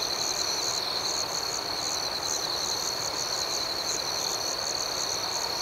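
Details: A nighttime chorus of crickets forms a continuous shrill whine, with a second layer of soft, higher pulses beating steadily about twice a second and no other clear sounds.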